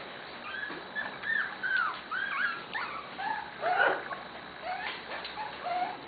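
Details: Several Corgi puppy litters at play in a yard, a chorus of squeaky whimpers and short yelps that overlap without pause, bending up and down in pitch, with a person speaking softly.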